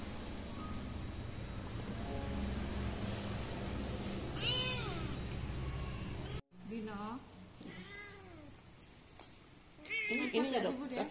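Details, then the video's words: Ginger kitten begging for food, giving a string of loud, rising-then-falling harmonic meows in short bursts, some drawn out and wavering, while a woman chats to it in Indonesian in the background. "The Ginger Kitten Kept Talking Begging For Food."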